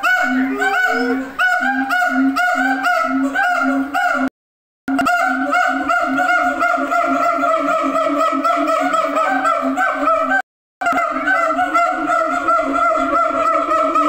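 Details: Siamang screaming at Tennoji Zoo: loud, harsh honking whoops, first as quick repeated notes, then long wavering sustained cries rising and falling, broken by two brief silences.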